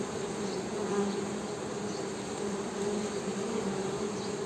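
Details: Honey bees produce a dense, low buzzing hum that swells slightly and holds steady throughout.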